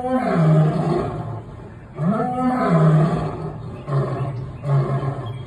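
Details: A lion at the National Zoo roars in deep, rumbling bursts with harmonic moans, each a second or two long.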